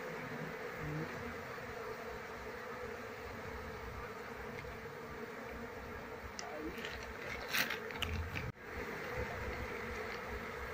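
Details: Continuous droning of a wild Apis cerana colony being relocated to a cultivation box as the beekeeper looks for the queen; an even, many-bee hum, broken near the end by brief clicks and a short handling knock.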